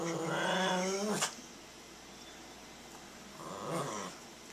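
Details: Maltese dog Brado growls at a boy pulling hostile faces, holding its ground at home: a rasping growl of about a second, a pause, then a shorter, softer second growl in a quiet room.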